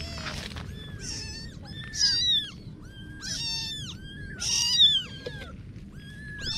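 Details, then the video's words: Little kitten meows, thin and piercing, each an arched squeal roughly every second, with two louder, strained cries standing out over a quiet background. "Little Kitten Adventures (New Video) - Kitty Video Meowing"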